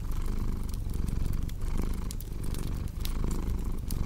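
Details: Low rumbling cat purr with uneven breath pulses, partly masked by a busy crackling fireplace with sharp pops.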